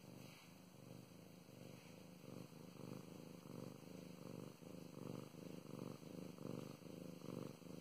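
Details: Close recording of a female domestic cat purring under petting, a soft low rumble rising and falling in rhythmic pulses with each breath, growing slightly louder toward the end.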